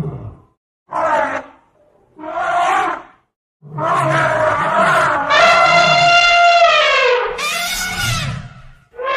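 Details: An Asian elephant (Elephas maximus) trumpets: short blaring bursts, then a long, brassy, wavering blast with low rumbling underneath.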